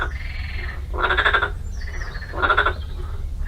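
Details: Frogs at the Urdaibai marsh in the Basque Country on a spring morning, 8 April 2020, croak in loud, rattling bursts roughly every second and a half, with other frogs calling faintly behind.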